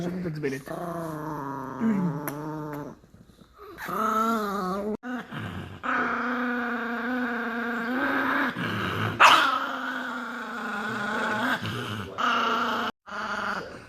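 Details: Chihuahua growling indoors: drawn-out, tonal, moaning growls that waver up and down in pitch. They break off briefly near three and five seconds, then resume, with a sharper yelp-like burst partway through.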